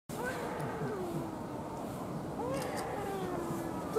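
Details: Hokkaido sika deer (Cervus nippon yesoensis) at Ueno Zoo give soft, drawn-out moaning calls that bend up and down in pitch.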